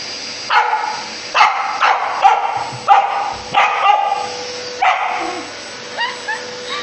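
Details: Samoyed dog battling a vacuum cleaner indoors: a run of sharp, harmonic barks and yips roughly every half second to second, with a steady appliance hum underneath and a few faint rising whines near the end.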